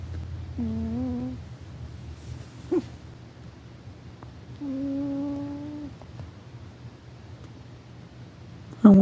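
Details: Rufus the domestic cat snoring as he sleeps; two tonal, whistled snore breaths several seconds apart, each about a second long, with scattered soft clicks and a sharp noise at the end over a low room hum.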